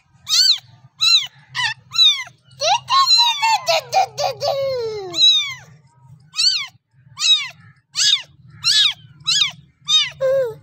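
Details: High kitten meows asking the mother for milk, broken midway by a longer, lower, downward-sliding cat call lasting a couple of seconds. Quick bent meows then resume, all over a low steady hum.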